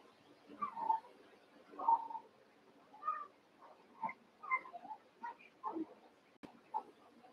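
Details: Cavalier King Charles Spaniel puppies, eight together after Daisy's six were merged with Robin's two, playing. Short whining squeaks and yelps, some rising and falling, repeat roughly once a second over a faint steady hum.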